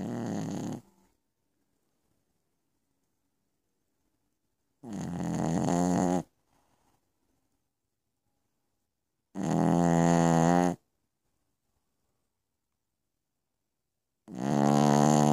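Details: Nighttime snoring from Piccolina the Pekingese: four rough, vibrating snore bursts, each roughly a second and a half long, recurring about every four and a half seconds with silence between.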